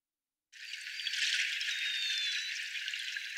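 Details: A group of North Atlantic northern bottlenose whales gives thin, high, narrow-banded tonal whistles over a dense wash of crackling clicks.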